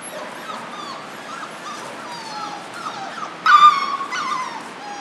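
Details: German Shorthaired Pointer puppies from a litter at four weeks old whimper with thin, wavering high whines that rise and fall. A louder, harmonic-rich squeal breaks in near the end over quiet background hiss.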